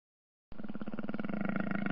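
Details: Jaguar giving a deep, rough, continuous roar that starts abruptly after half a second of silence and holds steady with a fast, throbbing pulse for about a second and a half.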